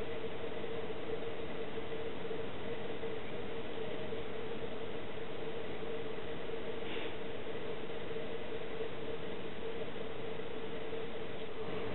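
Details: Steady broadband rumble with a constant mid-pitched hum throughout, like wind or engine noise, with no animal calls.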